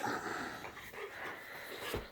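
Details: Boxer dog Layla indoors in the morning, trying to wake her owner on a rare day off; a drawn-out, nasal whine holds steady through most of the moment in a small room.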